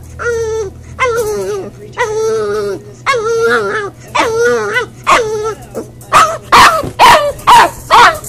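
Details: Crated Boxer puppy during crate training, crying because it is left alone: long, clear, high-pitched whines repeated roughly every second, each slightly wavering and dropping at the end, turning into shorter, harsher yelps in the last seconds.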